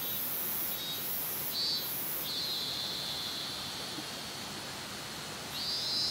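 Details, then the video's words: A cicada, identified as a minmin cicada (robust cicada), drones a steady, shrill buzz that swells and falls in long phrases; Minamimaki, Nagano, Japan, 27 August 2019, 14:19. "南牧村のミンミンゼミの鳴き声"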